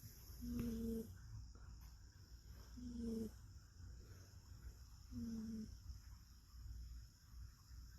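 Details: Rescued cat dozing on a person's arm, snoring rhythmically: three even whistling tones, each about half a second, roughly every two and a half seconds, with soft breathy rustle between them.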